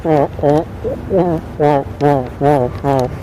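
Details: Wild fur seal calling: a steady series of hoarse, nasal, harmonic barks, each short and repeated roughly every 0.4 seconds, loud and close.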